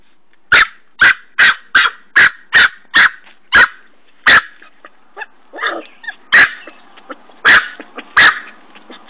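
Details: Norfolk Terrier puppy named Ben, digging a hole by a tree, gives a fast run of sharp, high barks about every half second, then a pause with soft scuffling and three more spaced barks.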